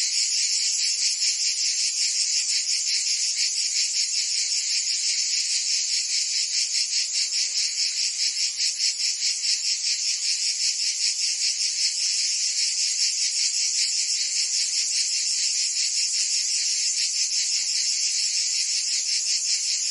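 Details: Summer chorus of cicadas in Provence, southern France. A continuous shrill, buzzy drone throbs rapidly, roughly 150 pulses a minute, never pausing across the stretch. No birds, wind or voices intrude.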